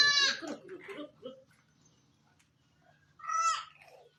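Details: During kidding at a Sultanpur Barbari goat farm, a short nasal bleat opens, followed by soft human speech, then a second strained bleat after a quiet pause.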